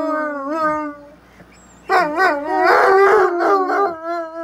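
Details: A pair of Bloodhounds conversing: a wavering howl fading out, a short quiet pause, then loud overlapping yodel-like howls rising and falling rapidly for the last two and a half seconds.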